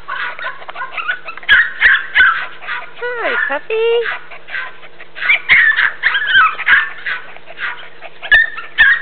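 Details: Border Jack and Jack Russell puppies at play on a farm and kennel in northwest Texas, August 2010: rapid overlapping squeaky yips and small barks, with a couple of drawn-out falling whimpers in the middle and sharp knocks.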